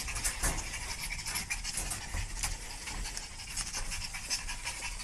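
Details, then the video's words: Dogs in a panic pant hard and fast, rough breathy puffs repeating through the whole stretch over constant background hiss. "パニックになった犬たちPanic dogs"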